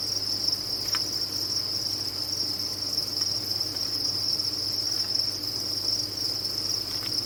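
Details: Crickets kept on a cricket farm, a dense chorus of many insects forming a steady, shrill high-pitched trill with no breaks, with a faint low hum beneath and a few soft clicks.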